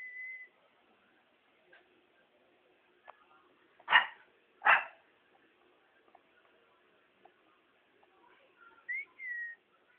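A Shih Tzu gives two short, sharp barks less than a second apart, with thin whistled tones around them.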